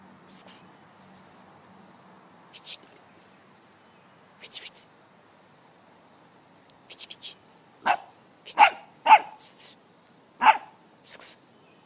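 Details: Six-month-old male brown brindle Staffordshire Bull Terrier named Mullet, meeting a locust for the first time, gives short sharp barks, a few spaced early then a quicker cluster of six near the end, with a quiet low voice in between.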